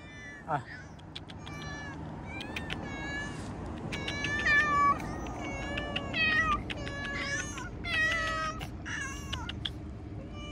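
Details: Several outdoor cats meow repeatedly, many overlapping tonal meows rising and falling, some high and thin, others longer and wavering, mixed with broadband rustling and a man calling softly to the cats.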